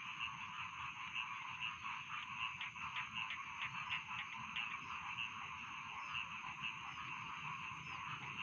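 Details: Many rice field frogs croak at once, with rhythmic pulsing croaks in the first half over a steady, droning chorus.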